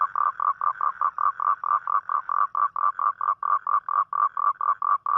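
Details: Toad calling at night, a call made on rainy nights to attract a mate: a steady run of short, buzzy, pulsed croaks, about two per second, evenly spaced against a quiet background.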